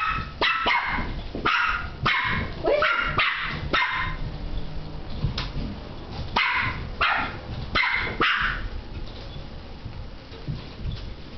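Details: West Highland White Terrier barking at a light, about a dozen sharp, loud barks in uneven bursts over eleven seconds, some doubled in quick pairs, with short quiet gaps between runs.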